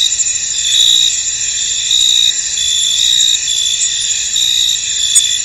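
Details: Field crickets heard in mist, a constant high buzzing chorus punctuated by louder pulsed chirps near once a second, slightly irregular in timing.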